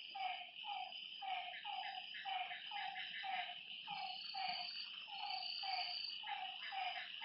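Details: Frogs at a lake at night repeat brief, falling notes about once a second, with overlapping callers, a steady high insect trill, and occasional higher whistled tones.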